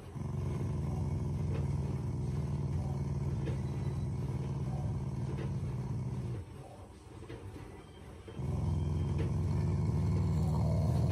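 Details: Pet Shiba Inu growling as an expression of affection toward its owners: a long, throaty, low-pitched rumble for about six seconds, a short quiet gap, then the deep growl resumes.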